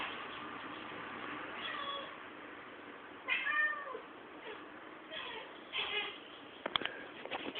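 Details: Pet cat excited by a fly, recorded with a low-quality camera: a few faint chirping meows with one louder arched trill, amid heavy hiss and some clicking knocks toward the end.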